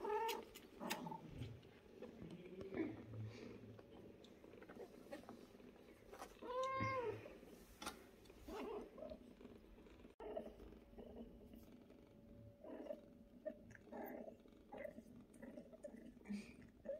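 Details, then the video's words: Mother cat with her fluffy kittens indoors; a clear rising-falling meow with stacked harmonics near the seventh second, softer murmuring cat sounds and soft rustling around it. "Mother cat loves her sweet pies so much"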